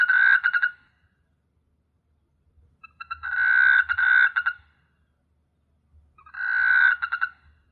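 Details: A frog gives harsh, pulsed croaking bursts about a second long, repeated every few seconds, recorded at night on S. Hulhumeedhoo island, Maldives, which teems with frogs.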